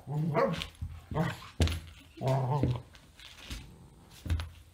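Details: Gracie, a pet dog, protests indoors while trying to reclaim her bed from Pete the cat, letting out short harmonic, whiny barks in several bursts with pauses between, and a human voice mixed in.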